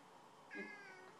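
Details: Cat demanding to go outside on a windy day gives one clear meow lasting about half a second. It starts strong and slowly tapers off, with a low underlying tone at the onset. The surroundings are quiet indoors.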